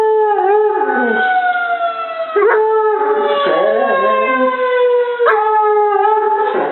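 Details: Molly, a dog, howls with a tornado siren. Drawn-out, gradually descending tonal howls are punctuated by brief sharp upward jumps and wavering lower notes, with the siren sounding steadily alongside.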